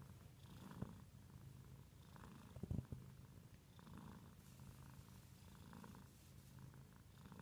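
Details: Low, even purring from a house cat, the rumble rising and falling with each breath, interrupted near the start and around the third second by brief rustling or handling noises.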